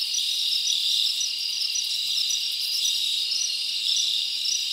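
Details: Chirping crickets at night in a summer forest: steady shrill trilling from many insects, with distinct bright chirps repeating every second or so over a constant buzz.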